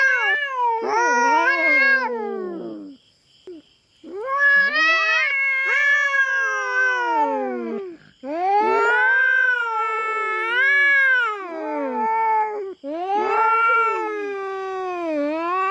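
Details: Feral cat intruding on a farm cat's territory in the Philippines, fighting with a black cat: long drawn-out harmonic yowls rising and falling, several calls two to four seconds each separated by brief silences.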